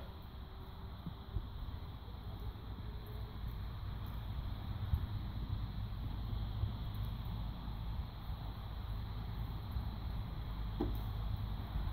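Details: Steady low rumble and a constant faint hum fill the air throughout, with no animal calls audible.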